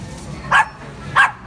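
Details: Dogs barking loudly at shoppers: two short, sharp barks about 0.6 seconds apart over a low background rumble.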